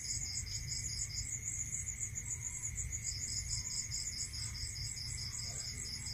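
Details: Night chorus of crickets in the countryside, high pulsed trains running continuously in two pitch bands, the lower band pausing briefly partway, with a steady faint tone and low background hum beneath.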